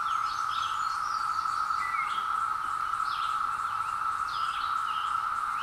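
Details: Periodical cicadas emerging after 17 years in hillside woods, captured on a Zoom H2: a steady, unbroken droning chorus holds one pitch throughout, while wild birds chirp and whistle short phrases above it.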